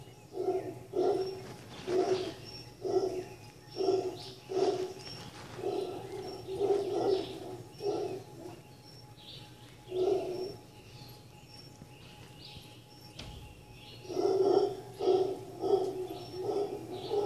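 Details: Rhythmic throaty grunts from howler monkeys at The Sanctuary in Cabuya, Costa Rica, repeated roughly every second in bouts, pausing for a few seconds, then resuming strongly; faint birdsong overhead.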